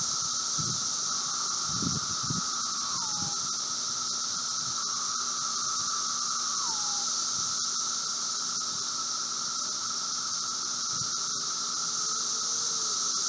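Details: Brood V seventeen-year periodical cicadas during their late-spring 2016 emergence outside a residence in Logan, Ohio, 4 June, 3:10 p.m.: a steady droning roar near mid pitch with a hissing high band, plus brief low thumps and a few short falling slides.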